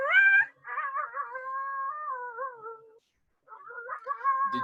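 A coyote howls in a high, wavering voice that breaks into short yipping notes. The howl rises and falls over a couple of seconds, pauses, then resumes more choppily.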